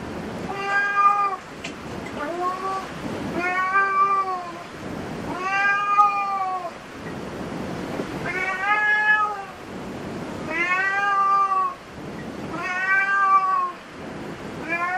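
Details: Cats in a cat cafe meow repeatedly, about a dozen arched, rising-then-falling mews every second or so, some overlapping as if from more than one cat, over indoor background noise.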